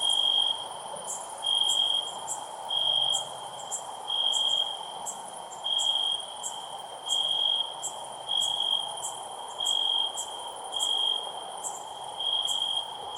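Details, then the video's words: Cricket giving loud chirps: about ten short high trilled pulses in a row, evenly spaced near every 1.3 seconds, with a constant high ringing tone and faint ticks behind. "Cricket Chirping Sounds"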